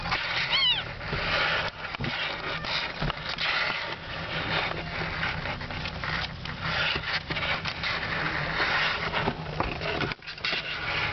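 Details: One of three lively kittens, about a month old, born at a friend's home, gives a single short, high, arched mew with a rising then falling pitch near the start, followed by continuous rustling, handling and scuffling noise.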